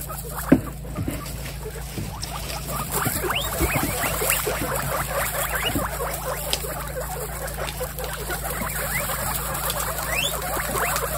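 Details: Pet guinea pigs from a household of many, reacting as if they sensed something: a dense chorus of short rising squeaks and chirps overlapping throughout, over a steady low hum.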